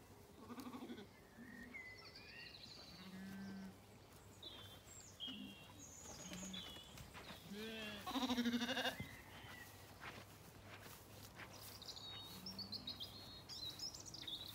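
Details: Zwartbles lambs in an orchard on a farm in County Kilkenny, Ireland, on a warm evening walk with dogs; several short low bleats scattered throughout, one louder wavering bleat midway, with birds singing high above.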